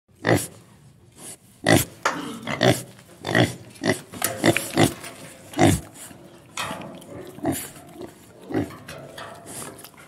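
A pig gives a run of short, harsh grunts and snorts in uneven bursts.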